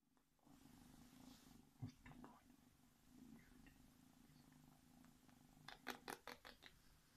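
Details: Domestic kitten, one of a February 2017 litter of four, purring while cuddled indoors; steady low rumbling purr throughout with brief clicks and rustles, ending in a burst of sharp handling noises.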